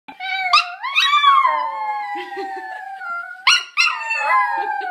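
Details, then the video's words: A dog gives long, wavering howls that rise, then slide down in pitch, apparently howling over its owner. "Dog howling because its owner is"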